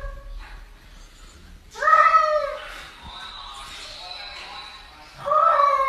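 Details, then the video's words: Cat yelling and talking like a human: two loud drawn meows, the first bending downward, the second rising at the end, over a low murmur of voices and a faint steady tone. "Funny cats talking and yelling like humans"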